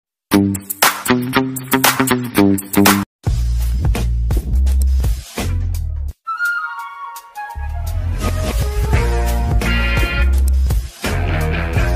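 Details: Loud music with beats and short breaks plays throughout, and no animal is heard.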